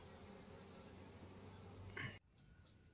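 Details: Asiatic honey bees (Apis cerana) in a queenless colony, given a donor comb holding a queen pupa: a steady low droning hum with layered tones, cutting off abruptly after about two seconds into a quieter background.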